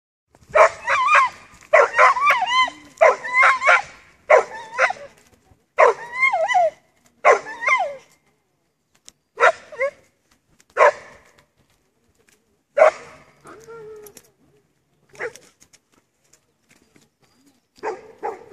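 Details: Dog named Axel barking in loud, harmonic bursts, often doubled or tripled, with short pauses between volleys over about eighteen seconds; barks thin out and grow sparser toward the end.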